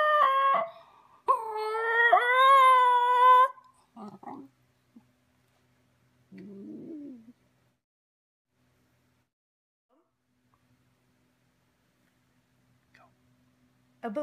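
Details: Female Basenji Ginger Snap at play with her owner, giving a few seconds of wavering, warbling howls. These are followed by faint rustles and quiet stretches, with a brief vocal sound at the very end.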